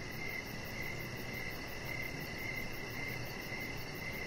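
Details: Crickets chirping outdoors in the evening beside a deck with a resting chihuahua puppy, steady high pulsed chirps repeating almost twice a second over a constant hiss of background noise.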